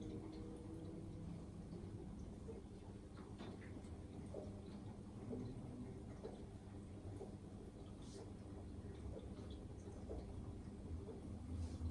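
Only a low, muffled indoor rumble with faint clicks and shuffling; no animal voice stands out.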